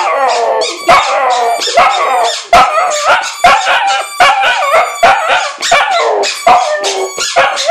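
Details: A Lhasa Apso howls along with his squeaky bone, wavering high-pitched yowls broken by short squeaky toy noises.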